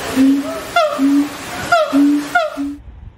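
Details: Siamang gibbons alternate held low hoots with sharp downward-sweeping yelps in a regular back-and-forth rhythm, roughly one pair every half second to second, ending abruptly.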